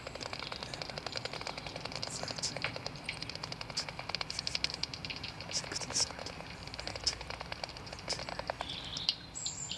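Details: Noctules chattering at a roost entrance at MK in 2013 before emergence, when 46 bats left over about 15 minutes: dense, rapid, high ticking chirps, steady throughout, over a constant low hiss.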